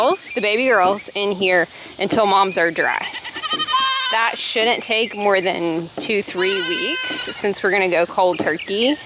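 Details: Goat kids scream during weaning in a dense series of quavering, nasal bleats that overlap almost without pause. The pitch bends up and down, and a human voice runs underneath.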